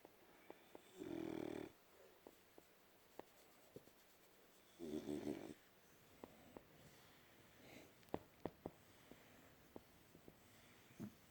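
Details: Sleeping French Bulldog Winston snores twice, about four seconds apart, each a harsh, rattling, low buzz lasting roughly half a second, followed by quiet breathing and small clicks in a still indoor room.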